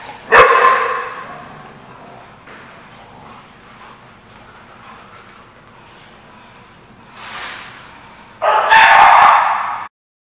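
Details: Dog at The Barking Lot, 24 July 2015: one loud, abrupt bark at the start, then a quiet murmuring stretch, then a longer, louder burst of barking just before the end.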